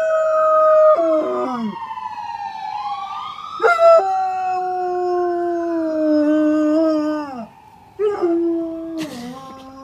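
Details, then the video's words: German Shepherd Dog howling in imitation of an ambulance siren: long sustained tones gliding slowly downward, broken by brief yelps and renewed rising starts, layered harmonics throughout. "German shepherd being an ambulance"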